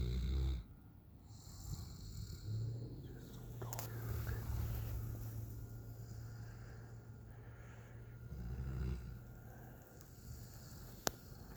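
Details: Sleeping on the back patio, 9-month-old Alaskan Malamute Raiden snores steadily: a low, droning rasp runs through, with louder snorting breaths at the start and again near nine seconds, plus a faint click late on.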